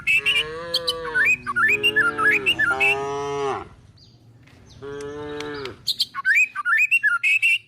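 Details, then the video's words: Calves and tame cows searching for food while herded toward a forest. Several low, steady moos repeat, one long and one shorter after a brief quiet gap, with busy chirping birds throughout. "the sound of calves, cows looking for food!!"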